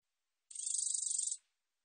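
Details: Katydid of the species known in Korea as geomeun-te-baejjangi, from a 2020 National Institute of Biological Resources recording: a single dry, buzzy burst of about one second made of roughly twenty rapid pulses, high-pitched, with silence around it.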